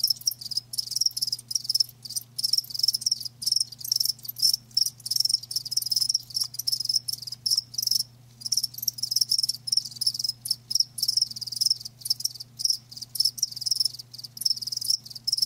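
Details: Continuous high trilling of live crickets, pulses packed closely and broken only by short pauses, one strong chirp standing out repeatedly above the chorus; low steady hum underneath.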